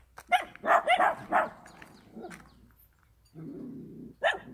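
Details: Countryside dog letting out a rapid string of four loud barks, then a quieter stretch with a low rumble, and one more bark at the end.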